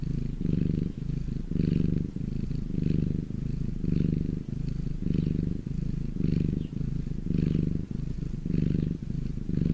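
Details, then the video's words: Domestic cat purring while lying in the sun, recorded close up: a deep, rumbling purr rising and falling with each breath, roughly one cycle per second, steady and continuous with no other sounds. "my cat purring in the sun"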